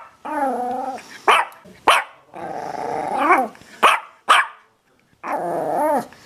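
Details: Dog growling and barking: long, low, rumbling growls that rise and fall in pitch, broken by short, sharp barks, then a final drawn-out growl.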